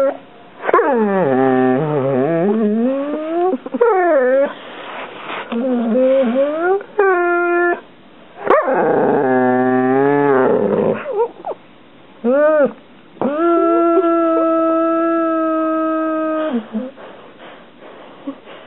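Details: Domestic dog whining and yipping over a toy stuck beneath the couch: a string of wavering, rising and falling whimpers, short sharp yips, and a long sustained howl-like whine near the end.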